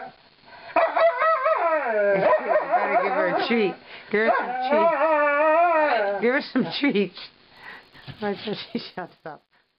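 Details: Being brushed, Lightning the female malamute answers with a mournful singing howl, sustained wavering tones sliding up and down, ending in choppy yelps and short broken cries.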